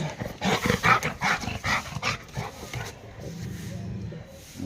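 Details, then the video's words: A pet Labrador and street dogs barking: a fast run of loud, harsh barks, several each second, fills the first three seconds, followed by a lower droning sound and quieter background noise. "PET DOG LABRADOR AND STREET DOGS BARKING"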